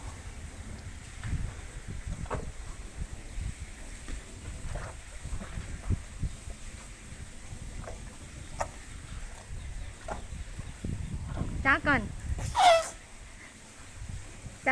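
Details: An elephant gives a brief, high squeaky call near the end, said to be saying "thank you" while being given food, amid clapping and people talking.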